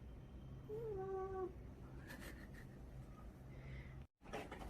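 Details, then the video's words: Pet cat answering in place of another, sulky-looking cat indoors; a short, level, nasal meow near the start, then faint clattering noises, a brief break in sound and background music. "대신 대답하는 관종고양이"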